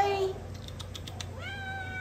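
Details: A Domestic Shorthair cat up for adoption gives one rising, drawn-out meow with clear harmonics near the end. It follows a brief burst of a person's voice and soft clicks in a quiet room.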